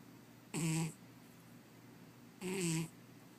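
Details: Cat asleep and snoring, two strong buzzy snore bursts nearly two seconds apart, each lasting under half a second with a low grating tone and hissy upper edge, against quiet room hum.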